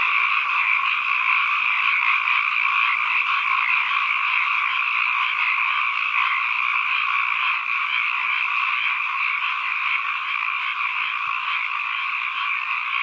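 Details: Frogs heard as an environmental soundscape, massed voices blending into a continuous churring drone with a faint rapid pulsing texture, two bright pitch bands holding steady throughout, nothing else audible.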